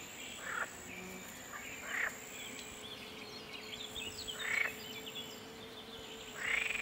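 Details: Green frogs of the genus Pelophylax at ponds in the Draga valley on 12 June 2022; short rasping croak bursts, four in about seven seconds, over a steady high hiss with faint chirps in the background.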